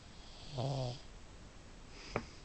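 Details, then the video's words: Female pug snoring loudly indoors: one rattling, throaty snore lasting about half a second, then a brief sharp click. "SNORING PUG"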